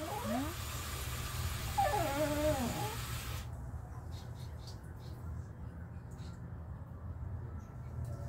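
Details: A mother Shih Tzu, sulking, gives several short high whines in the first three seconds, sliding up and down in pitch, followed by a quieter stretch of low household hum.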